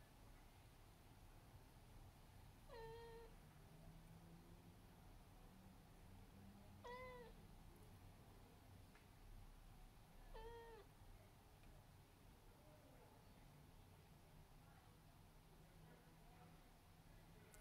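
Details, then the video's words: Abyssinian cat calling with three separate meows spaced about four seconds apart, each bending upward then falling, against a quiet indoor hum. "Abyssinian cat meows"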